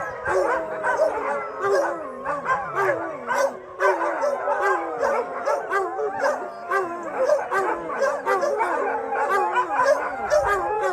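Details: A large chorus of shelter dogs, about 600, howling together after a thunderstorm: many overlapping wavering howls and yips layered densely, with sharp barks punctuating throughout and no pause in the din.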